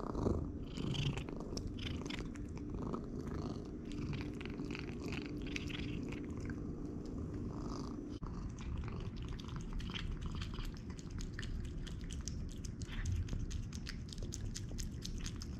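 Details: Pet cat on an all-raw diet purring as it eats raw food; continuous low throbbing purr throughout, overlaid by frequent crunchy chewing and biting clicks.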